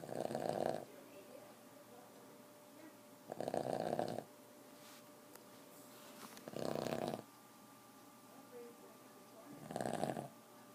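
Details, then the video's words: Boston terrier snoring: four rough, buzzy snores, each under a second long, coming about every three and a quarter seconds, with quiet, steady room hum between them. "Boston terrier chata snoring"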